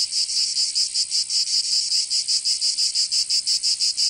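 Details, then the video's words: Summer cicada chorus from Provence in the south of France, a hissing high-pitched drone broken into clear rhythmic throbs, close to three per second, steady and unbroken throughout. "Canto Cigarra"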